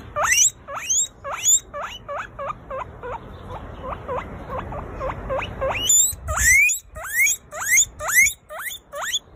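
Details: Pet guinea pig squealing in a rapid run of short rising whistles, softer and quicker in the middle, then louder, longer upswept squeals near the end, about two calls per second throughout.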